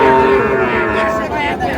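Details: Sahiwal bull calves at a cattle market bought by a farmer from Mymensingh, Bangladesh; a steady, low drawn-out moo with a flat tone over busy crowd chatter and distant vehicle noise.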